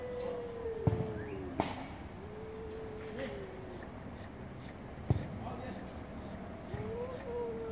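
Domestic cats give long, drawn-out, wavering yowls that slide slowly down and back up in pitch.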